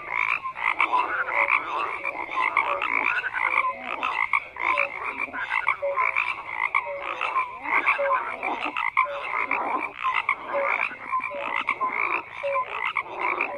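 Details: Continuous croaking of a large frog chorus, short tonal notes scattered among rapid pulsed calls and a persistent trilling band, loudness swelling and dipping with no silence between voices.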